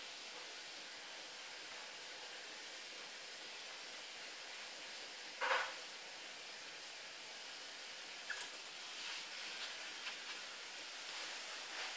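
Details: A steady hiss fills the room, broken only by a few faint knocks and rustles, with no animal voice heard.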